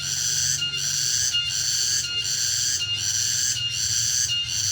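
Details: Short burst of late-afternoon cicada song in a rural setting: piercing, buzzy drone with six evenly spaced pulses, each swelling then briefly dropping, over a low steady hum.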